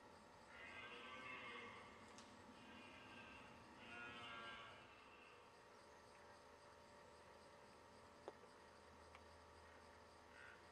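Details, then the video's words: A red deer stag in the 2009 rutting season in the Leuvenumse forest, Veluwe, Netherlands, gives drawn-out, moaning rutting roars, three bellows in quick succession. "Bronst momenten, Edelhert"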